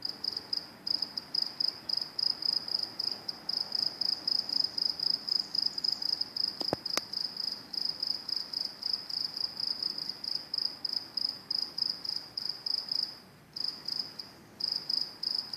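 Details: High, thin cricket chirping near train tracks, rapid pulsed bursts repeated about four times a second almost without break, one short click midway and a brief dip near the end.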